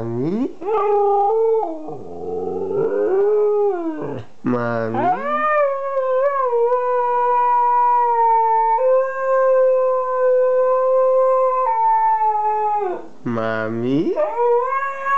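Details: Two-year-old Siberian Husky 'talking' with its owner indoors: drawn-out, steady harmonic howls, one held for about seven seconds, with short rising yelps at the start and end.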